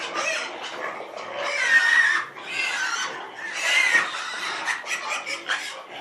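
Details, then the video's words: Domestic pig giving loud, harsh, strained squeals in several long bursts, rising and falling, separated by shorter grunting squeaks and brief pauses, with no other clear sounds. "sounds of a domestic pig"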